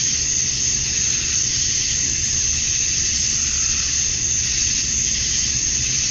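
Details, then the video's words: Male cicadas calling at dusk on a summer night in Georgia, USA, to draw females: an unbroken hissing high buzz, nearly uniform throughout, above a soft low hum. "Cicadas at Dusk, Summer Night"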